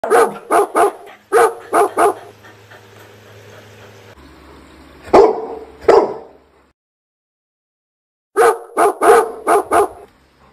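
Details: A dog barks at an aquarium in quick bursts of three to five sharp, mid-pitched barks, separated by pauses.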